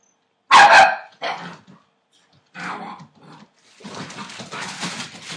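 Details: Entlebucher Mountain Dog puppies, eight weeks old, from the 28 December 2013 litter of Shadow and Falk vom Kornried, letting out a loud sharp bark, then gruffer short barks and a rough, grumbling stretch of growl-like yapping.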